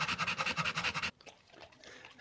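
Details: Pit Bull panting after five minutes of play: a fast, even run of breathy puffs for about one second, then a sudden drop to quiet background.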